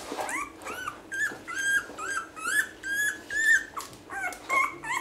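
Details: One-week-old basset hound puppies squealing and whimpering indoors, a litter of overlapping high, bending cries repeated about twice a second, some rising then falling, with a few harsh squeaks between.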